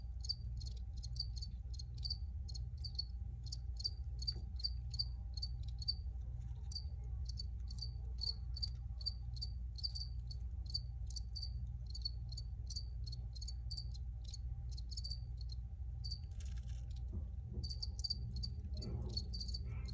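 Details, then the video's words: Steady, shrill cricket chirps repeat about twice a second for the whole stretch, a rhythmic high pulsing above a continuous low droning hum. "Free Cricket Sounds for Re-Use or Relaxation"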